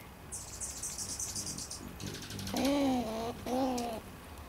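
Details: Front porch bird feeder squirrel that won't leave, giving two drawn-out whiny harmonic calls, the first longer than the second, after a burst of high thin bird chirping at the feeder.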